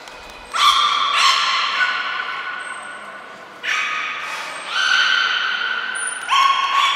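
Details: Beluga named Nico during a training session at Port of Nagoya Public Aquarium, February 25, 2024: long tonal harmonic calls lasting over a second each, starting abruptly, with thin high whistles between them.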